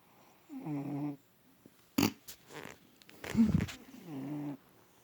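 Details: Adopted cat Bubba, called Bubs, asleep in a lap for the first time, snoring loudly with body convulsions. Two low, droning, harmonic snore breaths, separated by rustling thumps and shuffling sounds of the twitching body.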